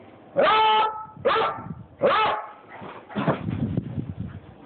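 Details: Beagle acting excited and a little crazy at home; three drawn-out, harmonic barking yowls about three quarters of a second apart, followed by a rougher, noisier vocal burst.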